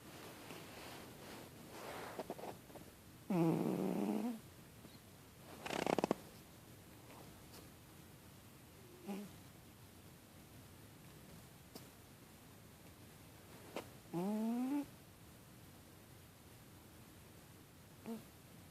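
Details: Male pet cat asleep with paws over his face, snoring through his nose: two drawn-out squeaky nasal notes rising in pitch, about ten seconds apart. Soft breathing and one rushing breath come between them in an otherwise quiet room.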